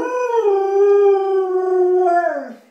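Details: Hungry female pet dog howling in the morning for food: one sustained, clear, even howl held for over two seconds, dipping slightly then trailing off into a falling, breaking end.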